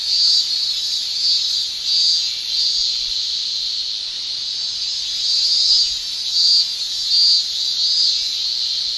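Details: Summer cicadas in Japan, males producing tymbal song as a steady, piercing high buzz with regular swelling surges, a thick chorus of many insects and nothing else audible.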